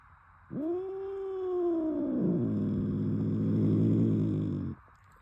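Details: Domestic cat furious at its owner, giving one long drawn-out yowl that rises sharply then falls into a low, harsh, growling moan lasting about four seconds.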